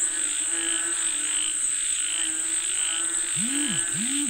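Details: Frogs calling for rain keep up a continuous throbbing croak chorus, while two short swooping arched notes appear near the end; a steady high insect whine runs behind.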